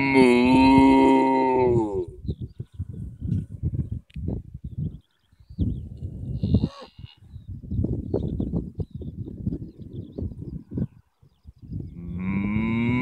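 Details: Cattle in a field in Ireland: a loud, drawn-out harmonic moo lasting about two seconds opens, followed by human talking, then a second moo begins rising near the end.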